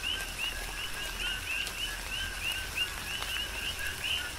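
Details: Coqui frogs on the Big Island of Hawaii in tropical rain, their short rising whistled chirps coming about three per second in an uneven overlapping chorus, with soft rain and occasional sharp drips.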